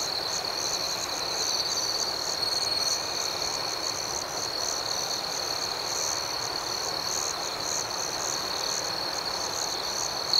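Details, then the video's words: Evening crickets in a peaceful outdoor scene, their high, unbroken trill steady throughout, with gently pulsing chirps above it and a quiet wash of background hiss, no other voices. "Soothing Cricket Sounds"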